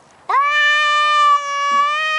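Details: Male Maine Coon cat by his favourite garden bush, unwilling to leave, gives a loud meow that sweeps up sharply and then holds a long, flat, harmonic-rich tone for nearly two seconds.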